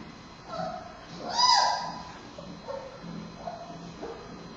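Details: Bei Bei, a male giant panda cub at Smithsonian's National Zoo, turns fussy while nursing from mother Mei Xiang, who breathes heavily, on a Friday afternoon, 9 October 2015; a loud squealing cry peaks mid-clip, with softer whines before and after.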